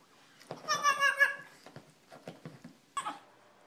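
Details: A small female Shih Tzu, barking and being sassy, gives a drawn-out, whiny, high-pitched bark followed by a few short yips.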